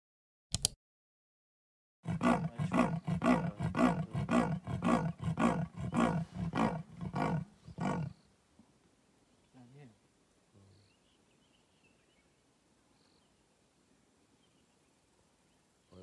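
A leopard gives a rasping run of hoarse, grunting strokes, about two per second, like wood being sawn.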